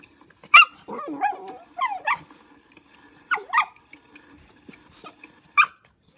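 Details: While playing with a motion cat toy, dog Lulu gives sharp yips mixed with short whining slides, spaced bursts across the clip ending in one clear bark, over a low humming from the toy.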